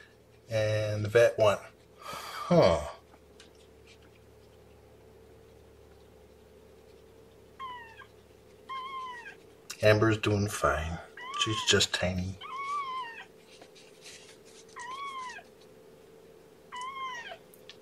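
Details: Kittens back home from the vet, indoors, mewing in a run of high, arched, slightly wavering cries about once a second, with a person talking at the start and again midway and a constant low hum.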